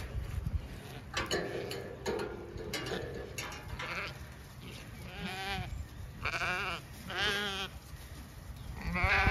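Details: Zwartbles sheep hoggets on a regenerative farm in County Kilkenny, Ireland, rush over to welcome a ewe that did not lamb. Rustling and footsteps lead into several wavering, nasal bleats in the second half, one overlapping another.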